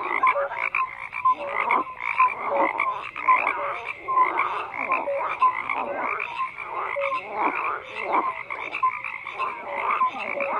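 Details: Dense frog chorus, many animals croaking at once; rapid raspy pulses overlap with brief clear tonal notes, the whole mass pulsing steadily through the recording without any other sound.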